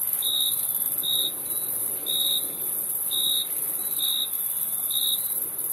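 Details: Cricket chirps, each a slightly drawn-out high trill arriving about once per second, six in all, set against a constant thin, high-pitched insect drone.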